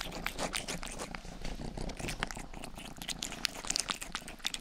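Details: Domestic cat Rangi, the household's youngest, grooms a 3Dio binaural microphone's ear. A low continuous purr runs beneath dense wet licking clicks and crackles, steady throughout.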